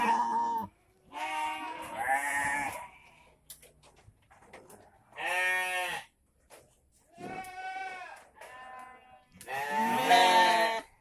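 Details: Group of penned goats bleating at about 5:30 pm, just before the evening feed: a chorus of loud, nasal, wavering bleats from several animals, coming every second or two with short pauses between.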